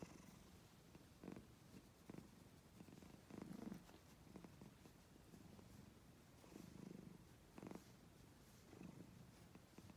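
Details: Black and white kitten purring indoors in a steady low rumble, with louder pulsing swells about every one to two seconds and soft breathy accents over a quiet room.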